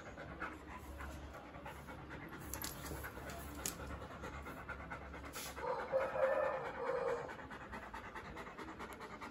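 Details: Doberman panting after a run: rapid, breathy pants at roughly four per second, steady throughout, briefly louder and harsher for about two seconds near the middle, over faint background hiss.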